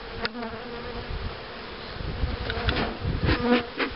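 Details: Honey bees at a starter hive for accepting queen cells during 2013 queen rearing, giving a dense, steady mid-pitched buzzing hum with rapid irregular rustling and tapping from work at the hive.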